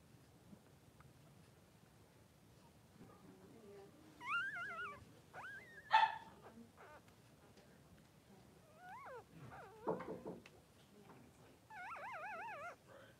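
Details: Three-day-old newborn Blenheim Cavalier King Charles Spaniel puppies, two boys in mother Pom-Pom's puppy pen, give high, wavering squeals and whimpers in several bursts, some with rapid trembling pitch, between quiet stretches.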